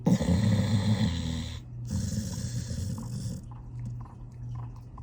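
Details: Sleeping 13-year-old rescue Pit Bull snoring like an old man: a low, rumbling, buzzy snore over a steady deep hum with breathy rasp, a short pause near two seconds, then softer rattling breaths toward the end.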